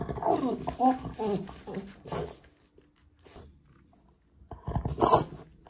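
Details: Indoors, a male French Bulldog fusses in a tantrum over a toy he can't reach, giving wavering, moaning whines and grumbles for about two seconds, then a pause, then a louder, harsher outburst near the end, with some human speech.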